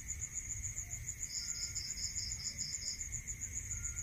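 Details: Rural night chorus of crickets, high rapid chirps pulsing several times a second, a brief burst of a second, slightly lower caller joining midway, steady tonal hum beneath and soft low background noise.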